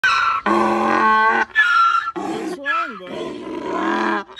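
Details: Waylon, a farm donkey, impatient one morning while waiting for breakfast, brays a loud greeting: harsh, harmonic blasts alternating with lower held tones and a wavering squeal, in several bursts over about four seconds, with faint music behind.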